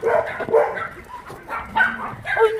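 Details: Dogs at Minjeulle Shelter, an abandoned-dog shelter in Yangsan, bark in short, sharp bursts, about four across a few seconds, with people talking in the background.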